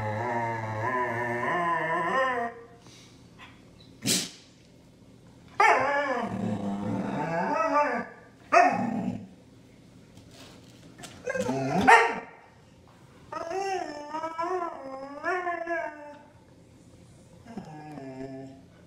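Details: Siberian Husky screaming and grumbling: rough, warbling vocal rolls with rapid pitch wobbles, growly undertones and sharp yelps between quieter stretches.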